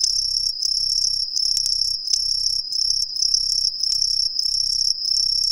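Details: Green tree crickets hidden in street trees of a residential area in Ehime, Japan, singing: shrill high-pitched pulsed phrases of roughly half a second, repeated steadily, with low traffic-like rumble and a few clicks.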